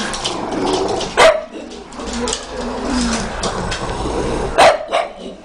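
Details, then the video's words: A pug barks at a pug pillow: two abrupt, loud barks about three seconds apart, the second followed by a softer short yap, with room noise and a low hum between them. "Pug Barks at Pug Pillow!"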